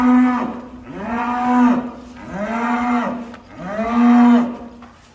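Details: A cute, rarely coloured cow on its way to Wariso Setia Farm lows three times in about five seconds: long, deep, drawn-out moos, each swelling and then easing off, with nothing else clearly heard.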